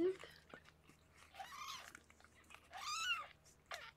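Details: Indoors with Harlequin, a rescued pregnant foster cat, as she gives birth to six kittens: two thin, high, arched mews about a second and a half apart, with faint rustling in a quiet room.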